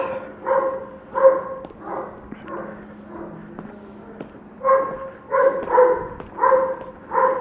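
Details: Neighbour's dog at about 7:09 a.m., barking in quick irregular bursts, a rapid cluster at the start and another near the end, with quieter yips in the middle gap; talk is heard around it.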